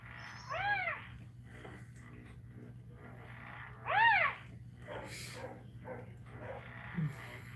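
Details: Cane Corso crying while another dog, Cashmere, is in labour: two loud, arching whines with rich harmonics, rising then falling, one near the start and one about three seconds later, over a steady low hum and soft indoor rustling.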